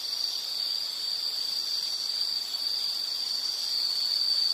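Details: A single insect rings out in a sustained, high, buzzing trill at an even pitch, slightly wavering in loudness, over soft background hiss.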